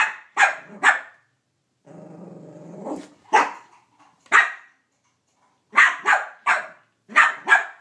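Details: Male Cavalier King Charles Spaniel barking at a Minnie Mouse toy that has taken his bone; clusters of two or three sharp barks broken by a rumbling growl rising into another bark, while a person talks nearby.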